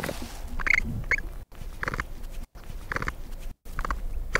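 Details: Short squeaky capybara calls, about one burst per second, each a quick harsh squeak, over low rumbling background noise.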